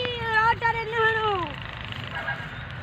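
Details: Teddy baby goats playing, jumping and grazing on grass on home land: one long wavering bleat, steady then sliding down in pitch over about one and a half seconds, with a low background rumble after it fades.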